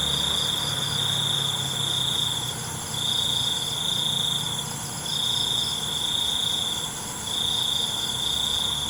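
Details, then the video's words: A night cricket chorus: long, shrill, steady trills of roughly two seconds alternate with brief quieter gaps, over a soft low drone. "ALUNAN CENGKERIK MALAM"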